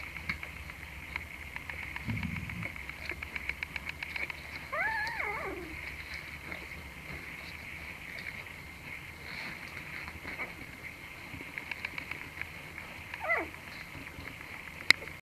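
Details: A mother Bull Terrier gives a few high, falling whines against a steady background hum.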